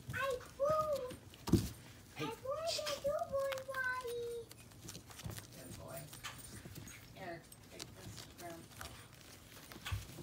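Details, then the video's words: Miniature Pinscher puppies aged 3 weeks and 5 days, a litter of three standard females and two chocolate males, give high, thin whimpering squeals that waver up and down in a quick string over the first four seconds. Quieter indoor room noise follows. "Miniature pinscher babies @ 3 weeks and 5 days old"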